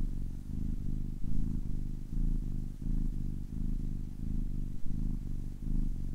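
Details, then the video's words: Ten-week-old domestic kitten purring steadily, a low rumbling hum pulsing in alternating inhale and exhale phases roughly every half second, close and continuous with no other sounds. "10 weeks old kitten purring for 10 minutes"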